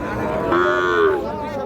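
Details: Sahiwal calf lowing at Ambari livestock market in Parbatipur, Dinajpur, 31/1/26. One short, fairly high, level moo of about half a second, slightly falling at its end, with market voices murmuring behind it.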